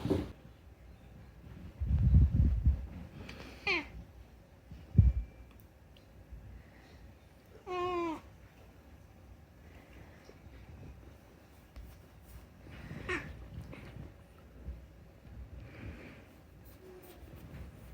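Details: Unagi-kun, a talkative rescued house cat, meows indoors to make an appeal: a few short falling mews, then a long wavering harmonic meow near eight seconds, another brief falling call later, with thumps and light room noise.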